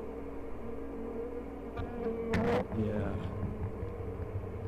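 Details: Honey bees in hives at "The Mountain" during a hive check dated 22/6/29, colonies busting with honey and full of brood; a steady droning hum with an even low tone, broken by a short clatter of handling near the middle.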